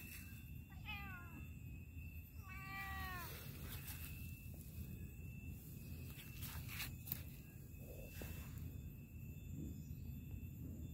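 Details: Cat playing in a park, meowing twice: first a short cluster of falling mews, then a longer drawn-out meow that slides downward, followed by scattered faint noises over a steady high electronic whine and low background rumble.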